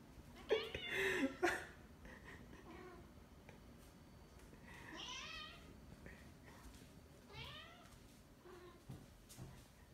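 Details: Pet cat Whiskers, hunting a fly inside the house, makes a loud burst of sound and then a series of short, bright chirping trills with sweeping pitch, spaced a couple of seconds apart, over soft room noise and clicks.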